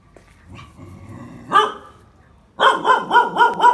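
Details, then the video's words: Phu Quoc Ridgeback dog training to catch snakes, Vietnam: a single bark, then a rapid run of five sharp barks about four per second at the end, with faint background rustle. "chó phú quốc tập bắt rắn"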